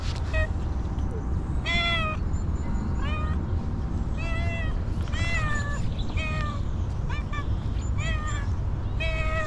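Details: .Hungry homeless female stray cat that has not eaten for a long time, meowing repeatedly, about nine short harmonic meows in ten seconds, some rising then falling, over steady low rumbling background noise.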